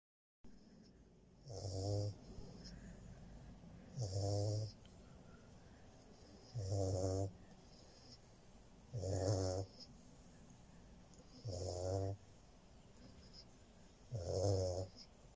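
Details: Central Asian Shepherd Dog. Deep, rattling snores from a sleeping Central Asian Shepherd puppy come in a steady rhythm, roughly every two and a half seconds. Each breath is a low, buzzy rasp with quiet pauses between.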